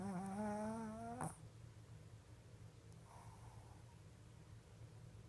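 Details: A deeply sleeping Shih Tzu, eyes still open, gives a single drawn-out, buzzy snore that rises slightly in pitch before falling quiet.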